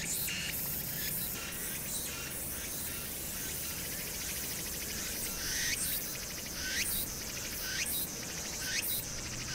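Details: Summer cicadas on Hwangnyeongsan, recorded 1 August 2019 against city noise: a dense, hissing, high buzz with repeated short rising sweeps and pulsing bursts roughly once a second, over a low, steady urban rumble.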